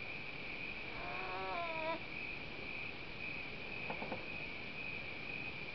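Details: Two wild North American beavers calling to each other while swimming by a cliff shoreline on Slocan Lake, BC; a single faint, wavering whine about one second long, later a few soft clicks, with a continuous high-pitched hum throughout.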